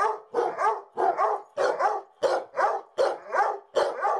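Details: Basset hounds, two of them, continuing to bark once the lights are off; loud, hoarse barks come in quick pairs and singles, roughly seven bursts over four seconds, irregular rhythm.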